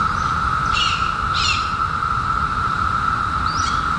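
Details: Cicadas, part of the 2021 emergence after a 17-year hiding, make a steady, unbroken mid-pitched droning whine, while a few brief bird chirps break in over it.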